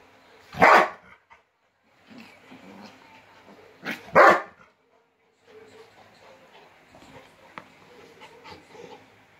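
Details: Rottweiler meeting a new puppy: two sharp, loud, harsh barks about three and a half seconds apart, followed by quieter scuffling and soft low sounds.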